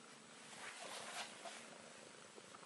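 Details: Contented Bengal cat in a relaxed state, purring softly and steadily, the even, breathy rumble swelling slightly in the middle before settling back.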